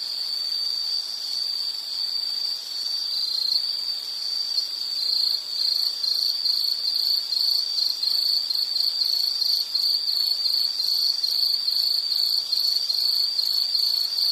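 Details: Insect calling in a high, shrill, continuous band that becomes rapidly pulsed after a few seconds, a fast steady chirping that runs on evenly with a light hiss of ambient noise.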